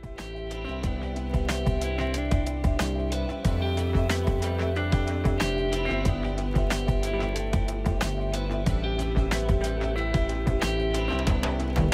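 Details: Bright strummed and plucked guitar music plays continuously with a steady rhythm, and no animal calls come through.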